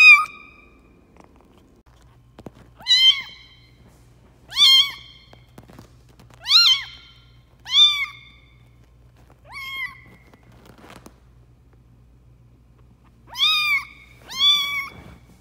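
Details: Lucy, a runt foster kitten being raised for a local shelter after her mother rejected her at feeding, gives high, rising-then-falling meows in a steady series, roughly every one to two seconds, with a faint low hum underneath.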